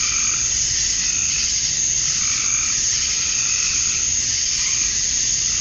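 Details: Dusk chorus of male cicadas calling for females in summer, Georgia, USA: a constant sizzling high drone with rhythmic mid-pitched pulses rising and fading roughly every second or two.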